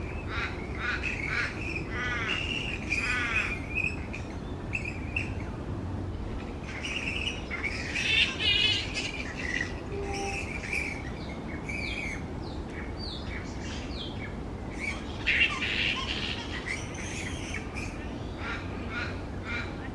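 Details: Noisy roosting colony of grey-headed flying foxes hanging from tree branches. Overlapping shrill squawks and rasping chatter come from many animals, rising into louder clusters near the middle and again later, over a constant low hum.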